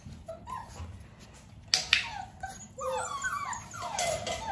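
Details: Dalmatian puppies nearly six weeks old, during clicker training while their mother Arya spends time with them; sharp clicks and bumps early on, then a cluster of high, wavering whines and squeaks in the last second and a half.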